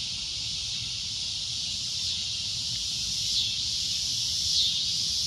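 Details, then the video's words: Cicada giving a loud, shrill, continuous drone, a steady high-pitched hiss that holds level throughout with only slight swells in loudness; faint low rumble underneath. "CICADA A Loud Shrill Droning Noise"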